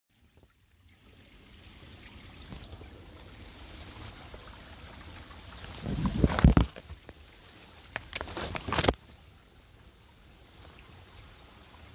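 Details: On a mountain walk along a stream, there is trickling water, with scuffing footsteps and rustling that grow louder in the middle and then fade.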